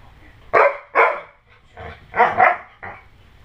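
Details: Dojo, a pit bull-husky mix dog, barks to protect a newborn baby from pretend attacks. Five loud, sharp barks come in uneven bursts, two of them close together, with quiet pauses between.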